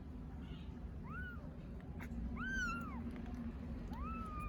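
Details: Hungry kittens among Istanbul's street cats meow for their mother cat, three clear drawn-out mews that rise and fall, about one per second, over a low steady hum.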